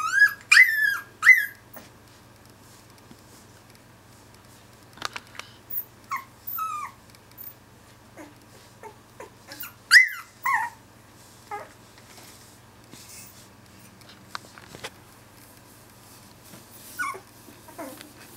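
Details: Two-week-old Finnish Lapphund puppies, several together, complaining indoors: high, sliding whimpers and squeals in short bursts, loudest near the start and around ten seconds, with scattered softer whines, sniffs and small clicks between them in a quiet room.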